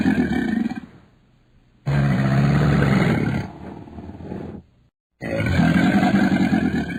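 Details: Crocodile rumbling through three gravelly growls, starting mid-call, with a longer steady bellow in the middle and a final loud burst after a short silence.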